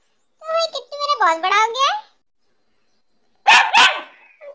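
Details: Kittu, a black Labrador Retriever, gives a pair of sharp, harsh barks close together near the end, after a drawn-out tonal voice that bends up and down; quiet gaps separate the sounds.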